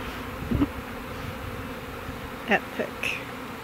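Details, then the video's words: Honey bee swarm, roughly 20,000 to 30,000 bees from a backyard hive, being housed in a hive box and fanning. A close, steady droning buzz with a low, even hum, broken by a few short knocks and brief voice-like sounds. "Beekeeping: Housing a swarm of honey bees"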